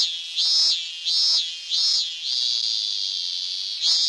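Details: Robust cicada (Hyalessa fuscata) song, high and buzzy: three evenly spaced swelling pulses, then a flat sustained drone, then another pulse at the end.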